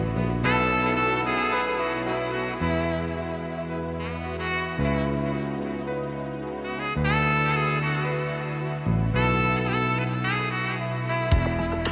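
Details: Saxophone-led jazz music with steady chords plays throughout, and no animal sounds are heard.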